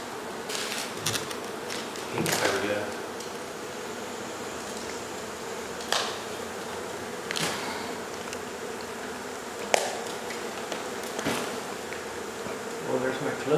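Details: Honey bees from a hive in the upstairs wall of a house in Mission, Texas, being removed and relocated; a continuous low humming buzz runs throughout, broken by sharp knocks and tapping sounds.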